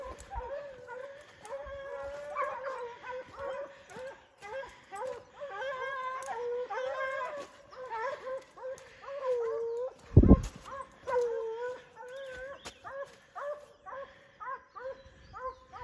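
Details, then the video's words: Kennel foxhounds, among them the old dog Faísca, baying together in a steady, overlapping chorus of rising and falling mid-pitched howls that continues throughout, with one sharp bang partway through. "Faísca véia faz barulho mesmo , foxhound é aqui ."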